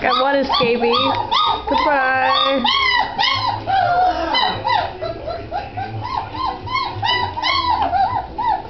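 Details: Several Great Dane puppies on 27 January 2009 keep up a chorus of thin, nasal whines and short yips, each cry bending up then down, packed about three per second, with a low hum underneath.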